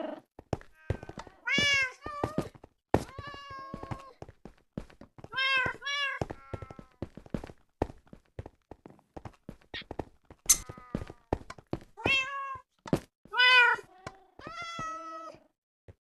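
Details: Cat addressing fellow cats with a steady series of loud, tonal meows, several held and slightly falling, others brief and rising, mixed with clattering taps and bumps throughout.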